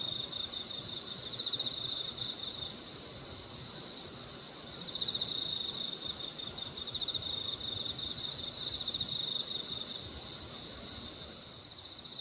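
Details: Night insect chorus under the Baekjung full moon in Korea, a steady high-pitched shimmering band of rapid pulsed chirps from many insects at once, holding level throughout before easing slightly near the end.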